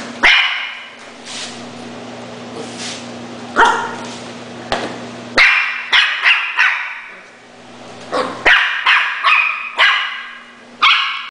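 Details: Schnauzer dog barking repeatedly indoors: isolated sharp barks at first, then bursts of rapid barks in clusters, loud and abrupt against a constant low hum.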